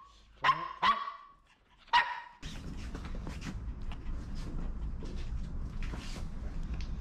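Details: Maltese at a dog cafe; three sharp, high barks in the first two seconds, then a steady low hum of cafe background noise with faint distant yaps.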